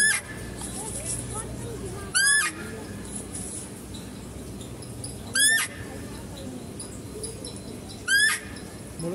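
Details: Female deer at a zoo while stags are fed nearby: three loud, short, shrill squealing calls, each rising with a rich harmonic stack, about three seconds apart, over steady insect-like chirping and low background hum.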